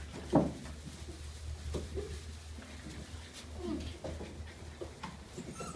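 A cocker spaniel gives brief, soft whines and grunts over a steady low indoor hum.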